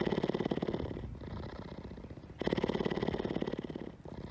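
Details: A people-oriented female mountain lion at an exotic animal rescue facility lies down and purrs in a deep, rapid, rattling throb that swells and fades with each breath; the purrs are much louder than a house cat's.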